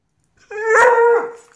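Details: Redbone Coonhound puppy baying: one drawn-out, nasal, mid-pitched howl that swells quickly, holds steady for about half a second, then fades with a slight downward slide, after a person calls to it.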